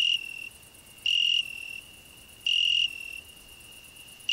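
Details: A cricket on a rose bush, with a grasshopper also singing there, gives a steady, pure high trill that swells into louder bursts about every second and a half.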